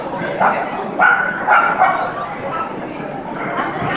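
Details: Four-month-old male puppy playing with other dogs after his first show, an international dog show in Belgrade, Serbia; short yappy barks come in a quick cluster around the middle, amid steady crowd chatter and human voices.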